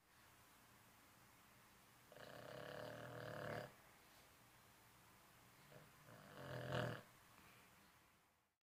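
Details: An old Boston Terrier snoring, with two long, rasping, rumbling breaths a few seconds apart.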